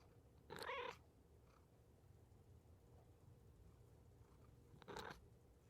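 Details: Domestic cat meowing twice: a strong, bright, harmonic meow near the start and a second, slightly shorter one about four seconds later, with quiet low hum between.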